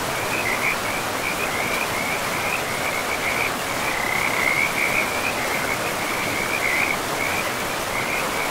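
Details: Chorus of frogs at a river deep in a pristine forest: a high, chattering pulsed trill rises and falls almost without pause across the clip, set against continuous river noise.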